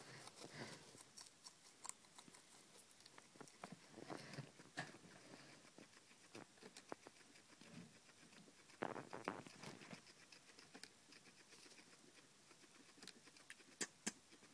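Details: Guinea pigs munching cucumber as a night-time snack: a steady run of crisp, wet crunching clicks, dense bursts around four and nine seconds, quieter nibbling between, in a small indoor space.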